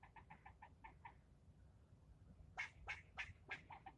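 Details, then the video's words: Angry male squirrel yelling at a person nearby: a fast series of soft, even chucks, a short pause, then louder, harsher barks spaced roughly a third of a second apart, with quiet low rumble underneath. "Getting yelled at by a squirrel"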